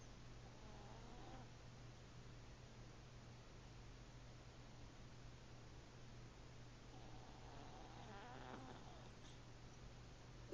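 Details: Pet cat snoring softly while asleep indoors, two faint rasping breaths about seven seconds apart against a steady hiss and low electrical hum.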